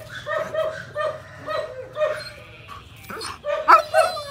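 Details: German Shepherd with a semi-long coat, aged 18 months, barking in short rhythmic bursts that run together. Near the end comes a brief noisy clatter, then louder sharp barks.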